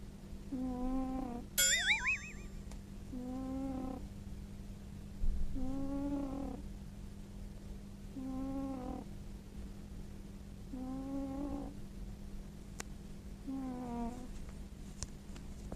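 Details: Former stray tabby, a rescue cat in Japan, sleeping soundly and snoring: six short, wavering, tonal snores repeat every two to three seconds over a low hum, with a springy boing effect near the start.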